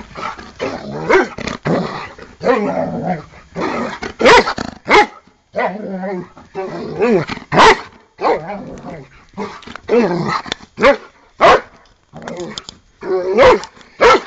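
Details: Eight-year-old Giant Schnauzer Bart at play, attacking a foot: a busy run of growls, grumbles and short barks throughout, mixed with a person's encouraging voice.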